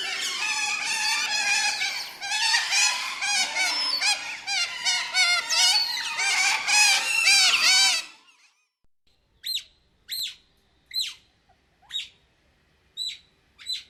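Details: Otter calling in the wild. About eight seconds of dense, rapid, repeated harmonic squealing chirps, several per second, give way to a sparser series of sharp, high, descending chirps spaced roughly a second apart.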